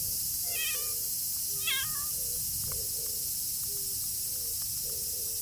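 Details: Stray tortoiseshell cat taking shelter from the rain. Two short meows, the second slightly rising, come about a second apart over constant heavy rain hiss, with a few faint thin calls after.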